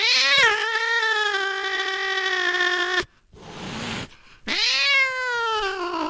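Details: Cat meowing: a long drawn-out harmonic meow held steady for about three seconds, a short rough breathy sound, then a second rising, sustained meow.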